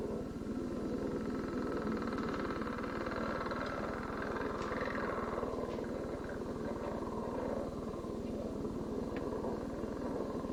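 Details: A male northern leopard frog's advertisement call from Ohio, given from underwater: a long, low, grating snore like two balloons rubbed together, with some chuckling.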